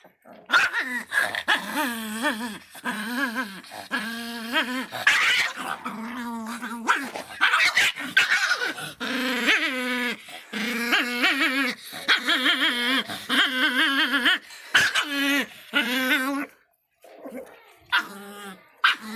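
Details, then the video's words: Fierce Miniature Pinscher dog producing nearly continuous wavering, whining growls in rapid bursts with brief gaps, loud and harmonic, sounding like a small dog snarling and whimpering indoors, ending in softer whines. "latidos de pinscher miniatura bravinho"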